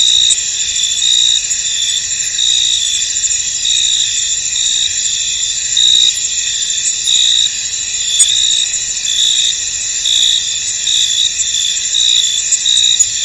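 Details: Misty field at night-like calm, filled with crickets: a constant layered high trill, with loudness wavering gently and occasional brief sharp clicks, with no other animals or people.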